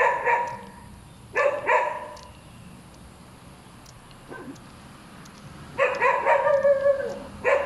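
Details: Dog giving quick paired barks, a quiet gap with a soft yelp, then a rapid flurry of five or six loud barks and one more at the close.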